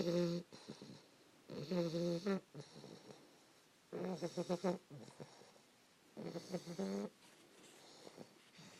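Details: Early-morning snores of a 3-month-old English Bulldog puppy named Fannie, asleep beside her owner near 5 AM; rattling, stuttering bursts with a whistly whine, four main bouts with quiet breaths between.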